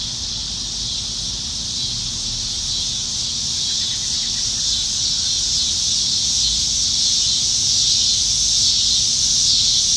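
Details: Cicadas plentiful up in the trees on a Nebraska summer evening in July 2019, during the dog days of summer, fill the air with a steady, high-pitched droning buzz that holds without pause.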